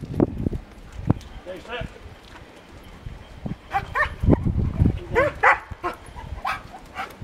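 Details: Wolfie, a new 12-month-old white wolfdog, tied to a post outdoors in England and agitated at it, gives short bursts of high, wavering whines and yelps, several in quick clusters, amid footsteps, rustling and a person talking.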